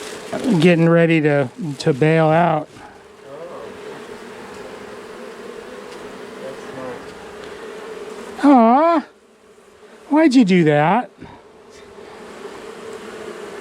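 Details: Honey bees from a long-time colony inside a house wall grow angry as darkness falls during a cutout removal, a continuous low steady drone filling most of the clip, broken by short bursts of human speech.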